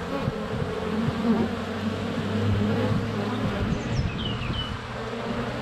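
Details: Honey bees hovering and flying at the hive entrance on a sunny February day, captured inches away by a GoPro Hero 7 Black; thick low humming with a brief steady low tone and short high bird whistles near the end.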